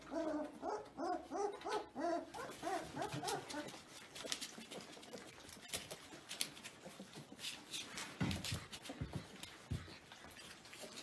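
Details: Newborn-to-seven-week Caucasian Ovcharka puppies whine in quick, wavering, pitch-bending cries repeated in the first few seconds, followed by scuffling, snuffling and fainter yelps.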